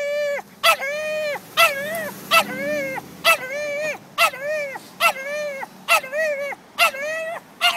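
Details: Dog in Old City throwing a tantrum at carriage horses seen a block away: repeated shrill, drawn-out whining yelps, each rising then falling, roughly one every second, alternating with short sharp barks.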